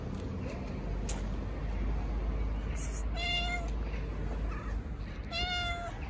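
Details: Stray cats gathering around a volunteer feeder who pets a tuxedo cat in a park, likely Istanbul. Two clear harmonic meows, about two seconds apart, each steady and drawn out, over constant low outdoor rumble.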